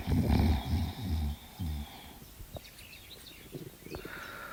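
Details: Dog fast asleep, snoring like a piggie: a run of short, rough, low snorts in quick succession over the first two seconds, then near quiet with a few faint clicks and hiss.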